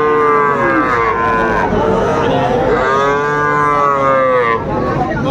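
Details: Cattle at Raniganj market in Dinajpur, 12 July 2024, where Friesian and crossbred heifer calves are sold: two drawn-out lowing moos with rising then falling arched tones, the second longer, over a steady murmur of market crowd noise.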